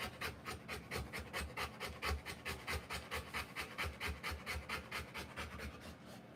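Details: Rottweiler mother whelping puppies, breathing in rapid rhythmic pants of roughly two per second, each a soft airy hiss, continuous across the whole stretch.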